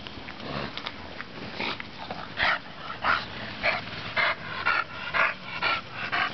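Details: Bonita the bulldog at play in sunshine, producing a run of rough snorting bursts about twice a second, several carrying a tonal whine-like edge, against constant low rustle.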